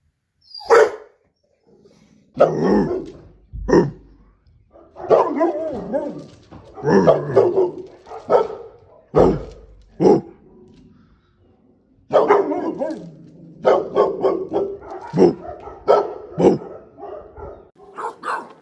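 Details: Barking from a Presa Canario: an irregular series of deep, gruff barks, some single and some in quick clusters, crowding together toward the end, with brief pauses and low background noise between them.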